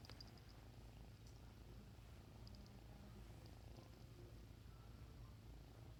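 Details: Young Bengal cat purring continuously, a deep even vibrating rumble with a fast pulse that holds steady throughout, faint high ticks sounding briefly near the start.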